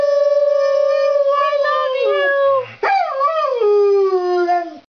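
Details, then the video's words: Pet Labrador Retriever in a group howl, drawn-out tonal howl held steady, wavering, then breaking upward into a descending wail that fades at the end. "My Talking Dog Lab Duke says I love you"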